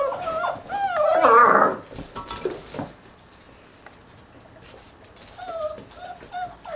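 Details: Six-week-old puppies, a litter of ten from an American Staffordshire terrier father and a Border collie/German shorthaired pointer mother, give a loud whining cry early on, then quieter high whimpers with small squeaks near the end, indoors.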